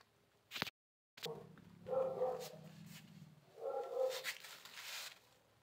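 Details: Cats asking for food after a fight; two drawn-out, tonal meows in a row, each about a second long, with a sharp click and a brief silent gap just before them.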